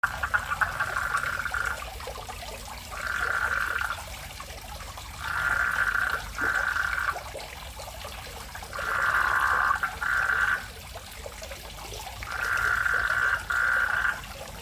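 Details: Frogs or toads that moved into a fish pond in front of a house in Indonesia, a sound like the countryside near rice fields. Pulsed rattling trills about one to two seconds long repeat after short pauses over a soft trickle of water.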